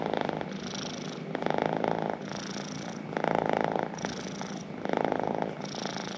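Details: A pet cat's purr, a low vibrating drone that swells and softens in a slow breathing rhythm, about one loud phase every one to two seconds.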